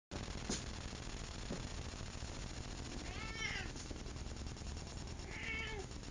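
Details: Thunder, the West Side Veterinary Clinic cat, while attacking and playing with a dust mop indoors: two short harmonic meows, one near the middle and a second toward the end, over a steady background hum.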